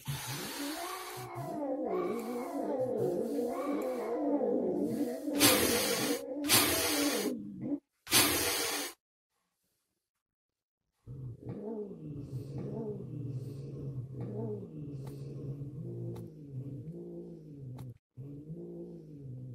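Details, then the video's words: Siamese cat, angry following a hysterectomy, heard as three overlapping copies: drawn-out wailing meows in arcs of rising and falling pitch, interrupted by harsh breathy hisses, then a pause and further lower moaning meows. "Siamese cat angry 3x hissing and meowing after a hysterectomy."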